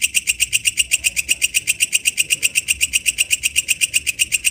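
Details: A katydid in the wild gives rapid, evenly spaced shrill ticks, about four each second, loud and metallic over a quiet low hum.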